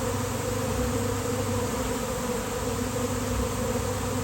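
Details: Swarming honeybees gathering on a basketball hoop in nice weather; an unbroken, steady hum of countless wings, low and even throughout.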